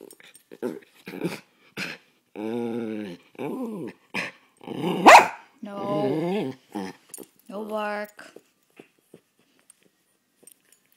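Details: Tasha, a poodle, gives a run of short, tonal whining yowls with rising and falling pitch, some bursts sliding sharply upward, separated by brief pauses over about eight seconds, then quiet ticks.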